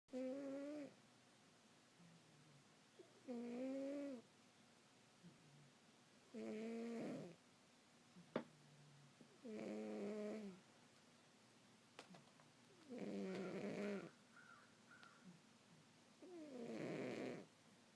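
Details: Domestic cat asleep indoors, snoring: six long rasping breaths with a harmonic, nasal tone, each about a second long and spaced roughly every three seconds, with quiet room hush between them and a few faint clicks.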